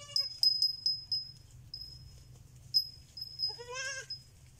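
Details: Young goat kid: a bleat cut off at the very start, then after a pause a strong, trembling, nasal bleat lasting about half a second. A constant high-pitched whine and scattered metallic tinkles sound in the background.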